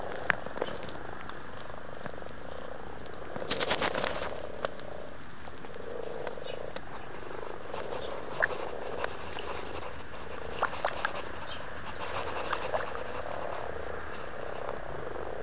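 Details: Very amorous frogs in a pond in Blarney, County Cork, Ireland, filmed in February: a low rolling purr-like croaking that swells and fades in waves, with occasional splashes and clicks.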